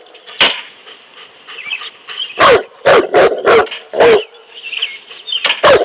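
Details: Cane Corso confronting a king cobra, barking in short loud bursts: a single bark, then a quick run of five close together, a pause, and one more, with a faint whine and hum between.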